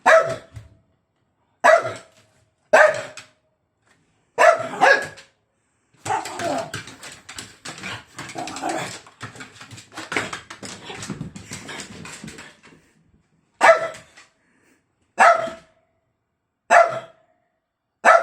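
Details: Dog barking at its bone: clipped, loud barks repeated every one to two seconds, broken midway by several seconds of rustling, scraping and chewing noise, then more barks.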